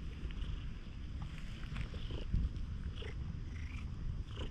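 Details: Tanuki-looking stray cat seeking affection at a campsite following rain, GoPro footage; rumbling low purr fills the clip, with brief rustling and a soft bump midway.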